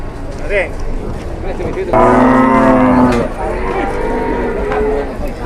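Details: Cow in an Indonesian cattle pen, aggressive after suddenly collapsing: a brief soft call, then a strong sustained harmonic moo lasting over a second from about two seconds, followed by quieter murmurs and human voices.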